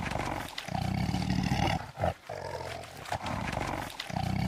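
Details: Lion with low, rumbling roars and growls in long throaty bursts, each broken by a brief pause, the rough tone staying heavy and steady throughout.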